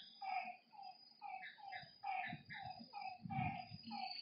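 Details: Night frog chorus at a lakeside: a run of brief, hollow, tonal notes repeated at an uneven pace, over a shrill insect drone and low soft thumps.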